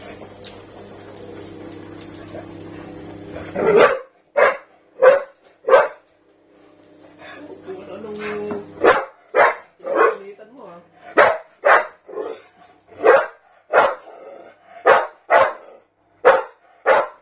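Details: Staffordshire bull terrier barking at a canister; human voices and background noise open, then a string of about twenty sharp, evenly repeated barks fills the rest.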